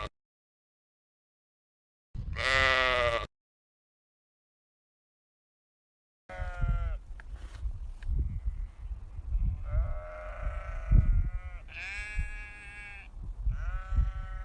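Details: Farm sheep: one clear, wavering bleat, then after a pause a run of several shorter bleats of varying pitch over steady low rumbling background noise.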